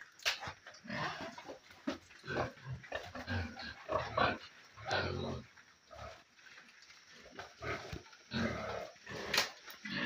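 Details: Pigs feeding in their pen, a piggery at feeding time; rough, broadband grunts and snorts come in irregular bursts amid chewing and clattering, with a voice-like murmur in the background.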